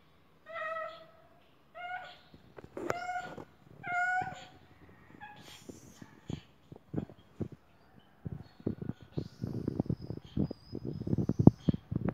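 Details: A sick-looking, angry male cat gives four short, harmonic meows in quick succession. Clicking, rustling and handling noises follow and fill the rest of the recording.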